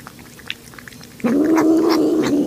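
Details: Cat or kitten calling mid-meal, its 'yum yum yum' noise. Soft chewing clicks, then a sudden loud, sustained, slightly wavering meow-like hum that holds steady for over a second in a small indoor room.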